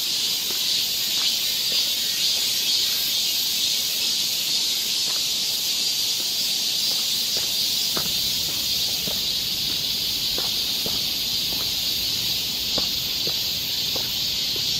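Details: A loud cicada chorus in a Korean summer forest, Seoul: a constant high-pitched sizzling hum with a faint rhythmic pulsing throughout, and light ticking sounds scattered in the background.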